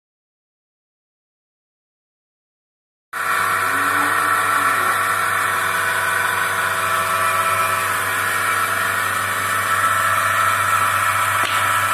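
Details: Near-silence for three seconds gives way to the loud, steady drone of a milking machine pump running on a dairy farm in India, a constant mechanical hum with no animal voices.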